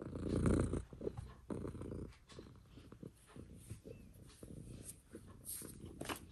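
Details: Mitsu, a female pet cat, purring up close for ASMR: a low rumbling purr in pulses roughly a second long, with soft gaps between breaths and light crackly scratching noises on top.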